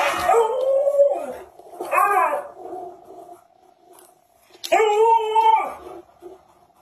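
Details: Alaskan Malamute, anxious and upset while its owner pretends to be dead in front of it; three drawn-out tonal howling cries, each rising then falling, the last loudest and longest, with quiet room sound between.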